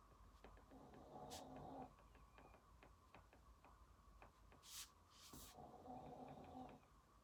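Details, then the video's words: A sleeping house dog snores while its owner studies: two drawn-out, raspy, buzzing breaths several seconds apart, mixed with frequent small clicks, pen scratches and a couple of brief hissing rustles. "강아지 코골이 소리"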